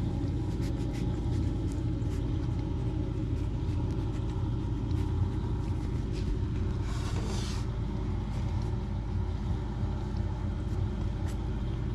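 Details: A constant low vehicle-like rumble fills the recording, with faint scattered clicks and a brief hissing burst midway, and no animal voice.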